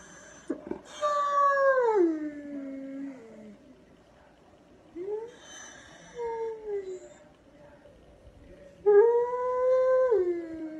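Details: Dog howling in three drawn-out tonal howls. Each starts high, holds, then slides downward, with a short rising yelp between them and quiet pauses.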